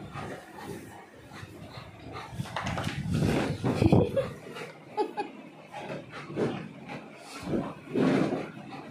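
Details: Pet Labrador Retriever Cocoka playing with a companion dog inside a small room, giving low growls and short irregular barks, with panting, scuffling and a person praising in the background.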